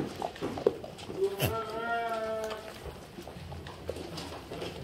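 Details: Black goats in a farm barn in Gimhae, South Korea, on an afternoon in late January 2022 while eating their evening feed; one long wavering, nasal bleat lasts about a second over shuffling and chewing noises.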